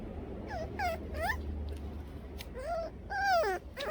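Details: Two Toy Poodles out on a walk: a series of high, whining whimpers, each sliding up or arching down, some drawn out, about six in four seconds, over a steady low outdoor rumble.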